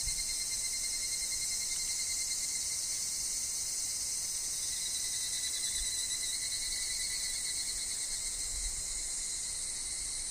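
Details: Many evening cicadas (higurashi) call in a forest with wind and falling leaves. A high, dense, shimmering drone with slight wavering mid-clip, a steady lower whistle-like tone, and occasional soft low bumps.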